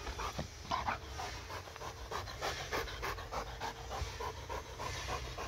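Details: Excited pet dog playing with a laser pointer, panting steadily at roughly three breaths per second, each breath a short raspy hiss, over a quiet room hum.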